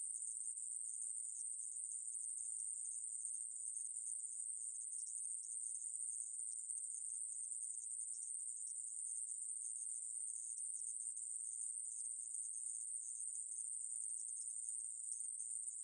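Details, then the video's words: Conehead katydid (애매부리) from a 2020 National Institute of Biological Resources recording: a steady, unbroken high-pitched buzz holding one thin band throughout, with slight flickers in intensity and no other sounds. "애매부리, 여러번 듣기, 곤충소리"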